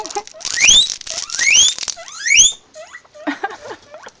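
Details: Guinea pigs calling in a series of loud, whistled wheeks, each sweeping sharply upward in pitch and repeated about once a second, then trailing off into softer, shorter squeaks.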